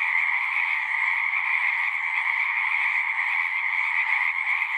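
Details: Many frogs singing together at a pasture pond, a thick unbroken trilling chorus that holds steady throughout, no other sounds standing out.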